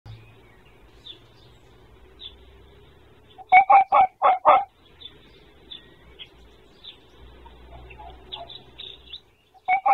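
A red fox gives a quick burst of five harsh, hoarse barks, then one more after a pause.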